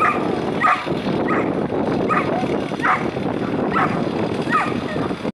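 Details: Whippets at the Cynodrome Perpignan during the ENC of 8 February 2015, giving short excited yips and barks about every half second over a steady crowd murmur and background noise.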